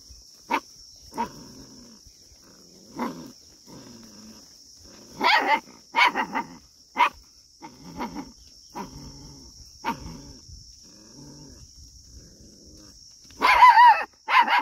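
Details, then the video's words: Scared puppy barking at sheep: short sharp barks scattered through the recording, some single, a few doubled, with quieter low grumbling between and a louder burst of barks near the end; steady high electronic whine throughout. "my scared puppy barking on sheep's"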